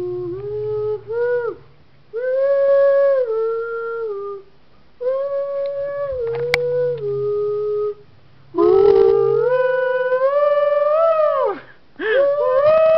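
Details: Lexi, a female Miniature Schnauzer, singing along to a tune played to set her off: long sustained tonal howls that hold, then step up or waver in pitch, in several bouts about two seconds long with short silent gaps between them.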